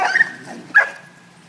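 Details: Dani, a pet dog, gives two short high yips while roughhousing with Bentley, another dog, indoors as a person tells her to stop; each yip is a sharp tone with a brief steady whine.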